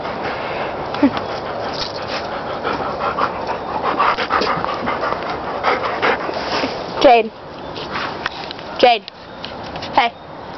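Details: Hyper, playful female pet dog at home panting steadily and noisily for several seconds, then giving two short descending whimpers near the end, while her owner talks to her and gives commands.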